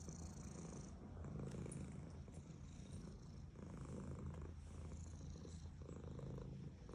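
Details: Purring female house cat being petted: a loud, even low drone that swells and eases with each breath over seven seconds, with faint fur-rubbing rustle above it.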